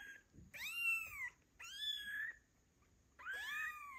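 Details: Fluffy kittens two weeks old, eyes newly open, cry for their mother cat with three loud, drawn-out harmonic meows that rise then fall, each about a second long, in a quiet room.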